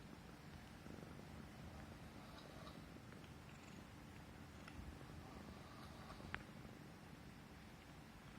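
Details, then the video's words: A Himalayan Persian cat rumbles a steady low purr while being stroked on the neck, a sign it feels safe and at ease; light rustling and one sharp tick near the end. "Suara Kucing Mendengkur (Manja Banget) CAT PURRING"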